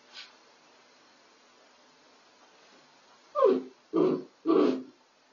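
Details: A female Miniature Dachshund named Belle in a makeshift laundry whelping box on the night before delivery. After a quiet stretch she makes three short, low, grunting whimpers about half a second apart, indoors at night.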